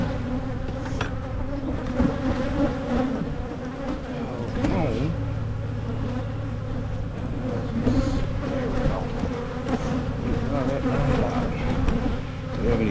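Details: An open Michigan honeybee hive being checked for queen cups before making splits to prevent swarming; thick, constant buzzing drone, faint clicks of handling and a brief murmur of a voice.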